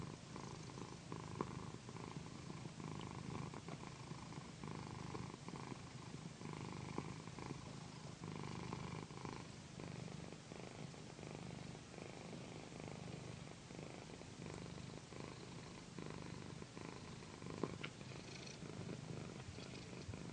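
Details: Female cat Pandy purring steadily while massaged on a satin pillow indoors; a sustained deep rumble alternating between breath phases over twenty seconds, accompanied by quiet satin rustling and an occasional small tap.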